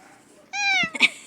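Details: Domestic cat meowing indoors: one clear harmonic meow lasting about a third of a second, steady in pitch and slightly falling at the end, followed by a brief rustle and a short sharp click-like sound.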